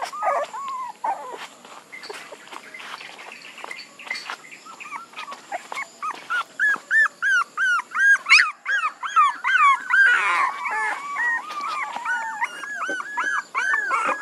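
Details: Puppies build from scattered low whimpers into a rapid burst of shrill, rhythmic yelps, several per second, then settle into looping arched whines, many small voices overlapping throughout.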